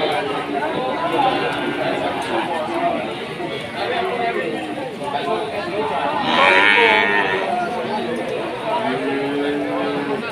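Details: Cattle at a cattle market during drizzling rain: several drawn-out moos, one rising and falling near the end, over a busy background of crowd chatter and voices, with a brief brighter noise burst midway.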